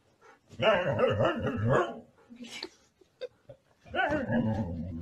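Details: Siberian Husky 'talking' with a rough, grumbling bark-like outburst lasting about a second, then small yips and snorts, then another gruff vocal burst.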